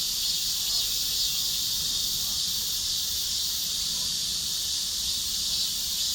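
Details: Cicadas singing together in a chorus: continuous shrill buzz at high pitch with a faint pulsing texture, steady in loudness from start to finish.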